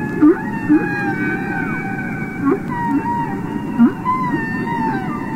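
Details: Underwater song of a real humpback whale from a Capitol Records recording: drawn-out wavering tonal notes layered with harmonics, punctuated by about five short bright upsweeping yelps spread across the clip, with a low murmuring sea rumble beneath.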